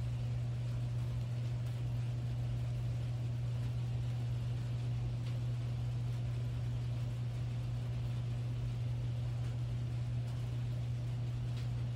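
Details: A steady low engine-like hum fills the whole recording, with no animal sounds.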